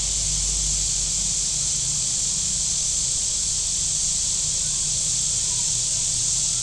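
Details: A constant shrill hiss from cicadas along the shoreline of Table Rock Lake, southern Missouri, in hot weather; the even, high drone never breaks, over a faint low rumble of passing boats.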